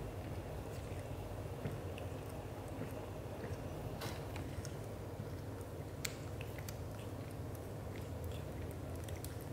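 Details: Indoor British Shorthair pair, father Leo affectionate toward mother Mimi, both black golden; continuous deep vibrating purr, even and unbroken, overlaid with light ticking and rubbing noises.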